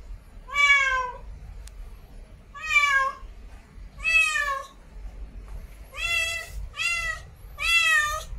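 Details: Female cat in heat meowing to attract a mate: a series of six loud, harmonic meows, evenly spaced at first, then three in quick succession near the end, each with a gentle rise and fall.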